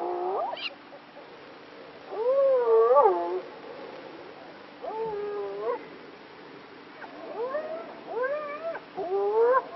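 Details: A spotted hyena in Kruger National Park gives a series of drawn-out, wavering calls that swoop up and down in pitch.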